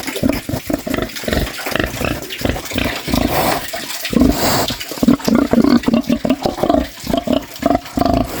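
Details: Pig snoring, dense rapid rasping snorts tumbling one after another, some louder and more nasal, with a brief breathy whoosh midway and a damp, liquid quality to the sound.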